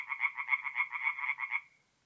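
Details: Tree frogs singing at night in a forest pond in mid-April, North-East Italy: a short burst of rapid, pulsing croaks stacked in dense bands, about eight beats in under two seconds, then fading to silence.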